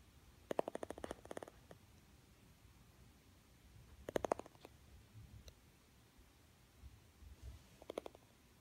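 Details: Boston Terrier (Canis familiaris), teeth chattering: fear response to thunder.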